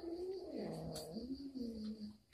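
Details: A domestic cat at home, Moa, receiving an uninvited guest, gives a low, drawn-out yowl that dips and rises over about two seconds. Faint steady background hum.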